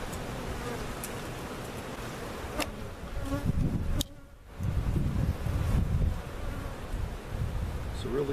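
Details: Honey bees out of their comb for over an hour during a large hive cutout relocation at Jerome Bee Farm, Central Oklahoma; a thick droning buzz with a brief drop in sound midway and occasional knocks from handling.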